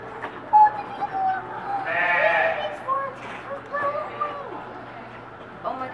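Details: Newborn piglets from two litters born on a Monday at Reston Zoo, giving several short, high, harmonic squeals that rise and fall, the loudest burst midway, with people talking and exclaiming nearby.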